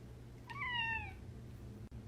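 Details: Domestic cat giving a single short meow, a clear harmonic cry that slides gently downward over about half a second, set against a steady low hum in a quiet indoor space.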